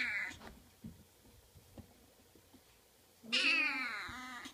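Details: Oriental kitten indoors: a short high meow at the start, a quiet pause with faint soft knocks, then a loud, drawn-out, strained meow bending down in pitch at the end.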